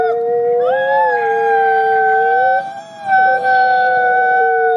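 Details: Gray wolf Nikai, captive-born ambassador at the Wolf Conservation Center in South Salem, New York, howls alongside another wolf: two long smooth tones, one sliding up early, briefly breaking mid-way before resuming steady.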